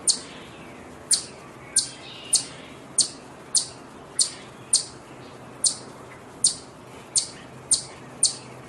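A chipmunk gives sharp, high, bird-like chips, repeated roughly every two-thirds of a second.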